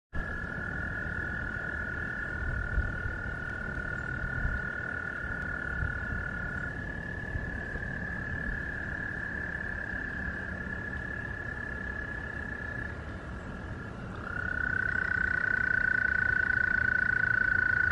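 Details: American toads calling to find mates for reproduction: several long, steady, high musical trills overlap and hold for many seconds, one stopping near the middle and a louder one starting near the end, over a low rumbling background.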